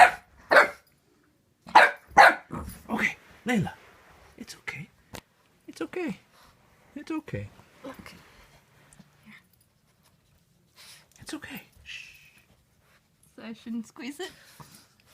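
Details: Layla, a Boxer puppy wary of her new squeaky toy, lets out a burst of sharp, harmonic barks in the first four seconds, then quieter yips. Close human voices murmur soothing reassurance throughout, indoors.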